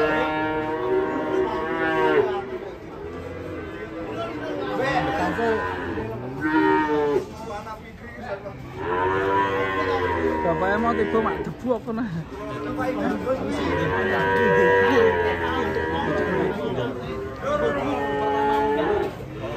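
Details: A rampaging cow coming down from a truck and ending up in a ditch: sustained, wavering moos in repeated bouts of two to three seconds, separated by brief pauses, with background voices.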